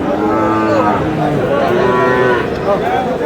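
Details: Short, full, harmonic lowing from Sahiwal bull calves at Dinajpur's Aftabganj livestock market on 13 June. The moo rises and falls, with faint human voices underneath.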